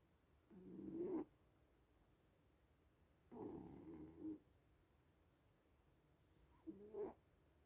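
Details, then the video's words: Little sleeping cats snoring indoors: three soft, low, breathy snores, each about half a second to a second long and spaced a few seconds apart, in an otherwise quiet room. "Sleeping little cats (and snoring)"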